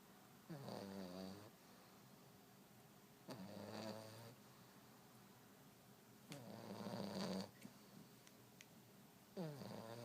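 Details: French Bulldog snoring indoors: four long, rattling, harmonic-rich snores, each about a second long and repeated roughly every three seconds, with quiet pauses between.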